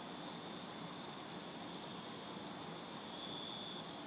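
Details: Hot, humid city night in a backyard with crickets and cicadas: crisp high chirps arrive in a tight, even beat of roughly three per second, a thin cicada hiss high above and distant traffic murmuring low.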